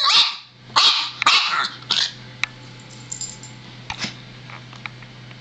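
A Boston Terrier gives a run of sharp, high barks, then falls quiet.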